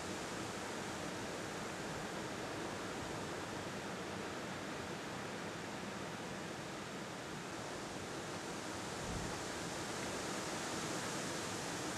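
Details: Constant loud broadband rushing noise, like wind or falling water, fills the whole stretch with no animal calls standing out.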